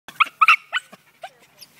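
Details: Terrier excited by a rat in a can, giving a quick series of short, high yelping whines in the first second, then a few fainter squeaky whimpers.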